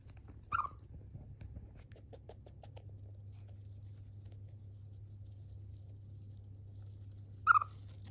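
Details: Chiro, a pet Siberian chipmunk, busy yawning and eating, makes one brief sharp chirp, then soft pattering and ticking sounds, then a second clipped chirp about seven seconds later, with a low room hum throughout.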